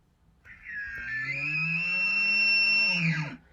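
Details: An American elk bugles: a loud, piercing, high whistle held over a low, growling fundamental, sounding large, loud and attractive at the same time.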